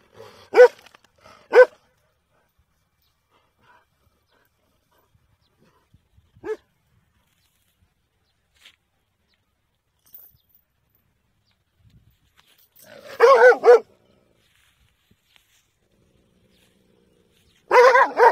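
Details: Dog barking in scattered bursts against silence: two sharp single barks near the start, a lone bark midway, then a tight cluster of several rapid barks and a final loud burst at the end.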